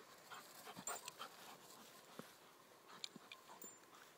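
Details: Playtime between Odin, a German Shepherd aged nine months, and Mia, a young English Springer Spaniel; rapid huffing pants and short snuffly bursts, with light scratching and clicks in between.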